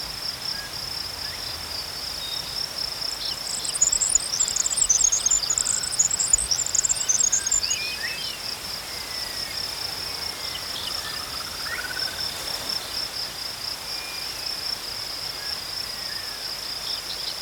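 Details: Crickets chirping in a natural outdoor setting: a steady, high, rapidly pulsed trill runs unbroken throughout, while a burst of higher twittering bird notes rises midway and faint sliding whistles drift in the background.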